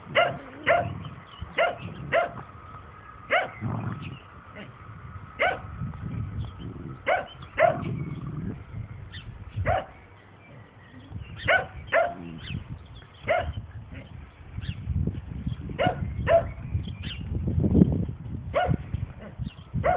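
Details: Dandie Dinmont Terrier mother Lady romping with her puppies and other dogs; rapid, irregular yapping barks run throughout, mixed with low rumbling growl-like sounds during the play.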